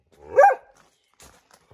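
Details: A dog gives one sharp, loud bark while looking for squirrels on 22 May 2021; a short harmonic burst, followed by near silence with a few faint clicks and rustles.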